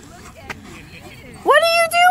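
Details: Tonka, an Alaskan Malamute, at a dog park on his second birthday among other dogs, gives a short howl-like woo that rises then holds steady, following a woman's voice speaking to him.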